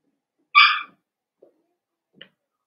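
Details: Blenheim Cavalier King Charles Spaniel puppy from a litter of five born at New Year, indoors in a puppy pen: one sharp, bright yelp, followed by a couple of faint soft sounds.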